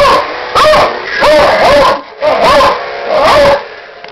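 A Beagle mix barks loudly in four drawn-out bursts, each a tonal, wavering yelp that bends up and down in pitch. The barks carry a baying, half-howled quality and come roughly once a second in a small indoor room.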